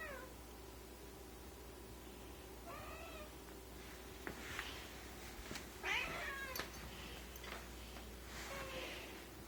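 Domestic cats give tense, drawn-out yowls and rough growling meows toward a new kitten.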